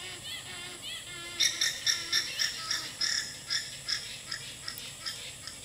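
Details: Female alpaca sounding an alarm call to alert the herd: after a quiet opening, a rapid run of shrill, pulsed, high-pitched calls, about four per second, continues for over four seconds, gradually softening toward the end.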